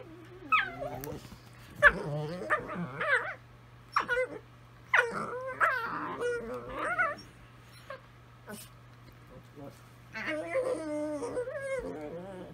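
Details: Italian Greyhounds singing to each other, their wobbling, sliding howls mixed with yips and busy broadband noises, ending in a sustained wavering howl chorus, over a steady low hum.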